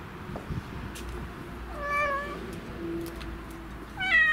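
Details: Black-and-white pet cat sitting in a bicycle basket, excited and noisy after a long time away from it; two clear meows, one falling, rising then falling near the middle and one louder one at the end, over low traffic-like rumble.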